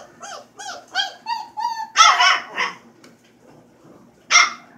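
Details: Four-week-old puppy Freaky Frankenstein in a small room: several rising, quavering whine-howls that climb and hold, then a rough, harsh bark-like outburst, a pause, and one more sharp bark at the end.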